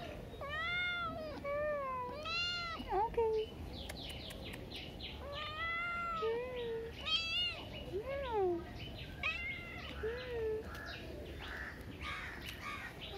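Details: Street cat meowing repeatedly, a run of clear, tonal, arching meows about a second apart, some rising then falling, with a few shorter squeaky calls in between against a quiet background.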